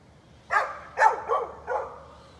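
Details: A neighbor's dog barking on 13 November 2020: four sharp, mid-pitched barks in quick succession, the last slightly spaced from the rest, over a quiet background.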